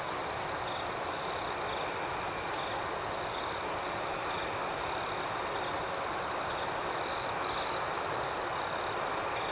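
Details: A rhythmic cricket symphony at night: a steady shrill trill with quick pulses throughout, and two short louder chirps near seven seconds.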